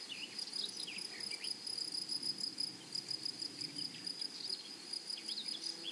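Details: High, rapidly pulsing buzz from grasshoppers in a flowering meadow, steady and shrill, while small birds add scattered short, sweet chirps and twitters throughout.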